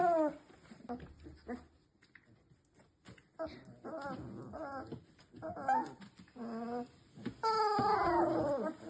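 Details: Labrador Retriever puppies just over three weeks old, play fighting with each other indoors; a run of high, squeaky whines and yelps with wavering pitch, in short bursts, ending in a louder cluster of squeals.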